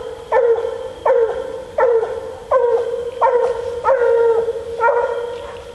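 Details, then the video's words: Female Bluetick Coonhound out coon hunting, giving loud, evenly spaced baying barks, each a short harmonic bark with a brief drawn-out tail, repeated about every 0.7 seconds, against a quiet night background. "Coon Hunting With A Bluetick Hound"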